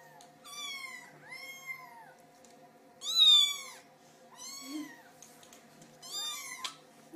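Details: Little kitten seeking its owner's attention, giving five high, harmonic-rich meows spaced about a second apart, each rising then falling, the fourth loudest, over a steady low indoor hum.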